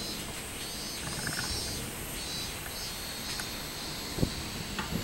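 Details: Robust cicada singing on 24 July 2016: a high, buzzy drone that swells and fades roughly once a second over a steady hiss, with a few faint thin whistles and clicks.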